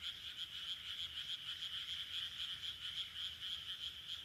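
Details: Paddy-field frogs in Sendai's Taihaku Ward, Japan, late June 2023, heard as a continuous, overlapping, high trilling chorus of fast pulses with no pauses.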